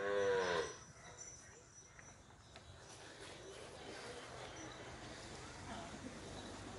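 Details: Punganur bull at P Gannavaram gives a single short, harmonic moo in the first half-second, then a steady rural background hum with faint distant noises.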